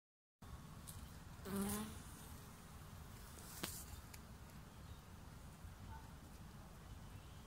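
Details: Bee visiting flowers in Australia, 2019: a steady low droning hum fills the recording, broken by a short louder whirr near the start and a sharp tap a couple of seconds later.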